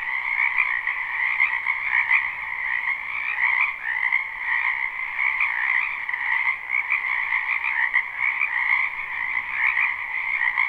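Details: A live recording from a wetland in spring, crowded with frogs: unbroken croaking from many animals blends into a pulsing, trilling wall of sound, with slight surges in volume every second or two.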